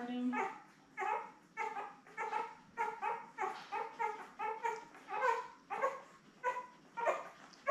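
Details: Newborn Labrador Retriever puppies, a litter of seven born May 24, 2021, with their mother Belle, filmed on June 3. Harmonic whimpering cries rise and fall about every half second to second in a steady run, with a faint hiss beneath.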